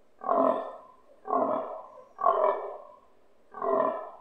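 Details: Fallow stag in rut season grunting close to a house, heard from a balcony, its voice vibrating the windows; four hoarse, throaty grunts at roughly one-second intervals, each short and forceful, then tailing off.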